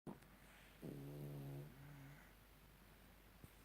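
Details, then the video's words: Shar pei dog asleep indoors after having its ears cleaned, giving one soft, low droning snore lasting about a second and a half, then fading into a quiet hiss of room noise. "Шарпей Тайсон храпит"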